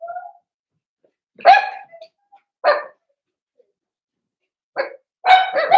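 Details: Four-week-old Cavalier King Charles Spaniel puppies in an indoor home puppy pen, meeting other dogs of the household: a few short, bright yaps in scattered bursts separated by silent gaps.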